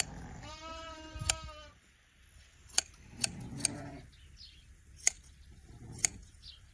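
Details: Sheep during autumn shearing in a village, giving one long, quavering bleat lasting about a second, followed by a series of sharp, scattered clicks and soft rustling.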